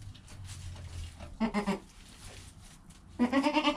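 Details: Joel, a goat kid filmed within an hour of birth with his mother Penny nearby, gives two tremulous bleats, a short one midway and a longer one at the end, over low background rumble.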